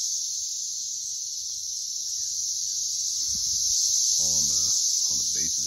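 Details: Continuous shrill droning screech of many Brood X periodical cicadas swarming a tree and crowding its base, swelling midway, with a man's voice near the end.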